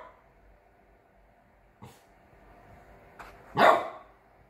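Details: A 3-month-old Chow Chow x French Bulldog puppy playing guard dog gives a sharp guarding bark after two softer yips.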